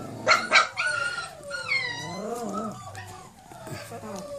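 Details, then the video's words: Four-week-old Cane Corso puppies out of doors for the first time: two quick piercing yelps open, then drawn-out rising and falling whines that fade into softer whimpering. "Cane Corso pups, 4 weeks old, first time outside"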